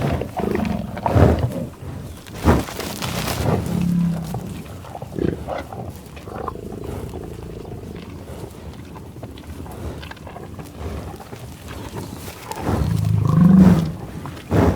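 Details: Loud buffalo growls and moos: deep, resonant lowing calls open and close the stretch, with short grunting snorts between and a quieter rumbling middle section.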